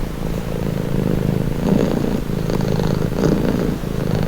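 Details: Soft, low purring of a cat offered as a calming sound, a steady buzzing rumble with gentle rhythmic swells under a second apart in places.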